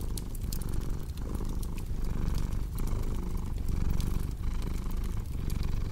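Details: Cat purr, deep and continuous, rising and falling with each breath roughly every 0.8 seconds, over the bright crackle and snapping of a fireplace.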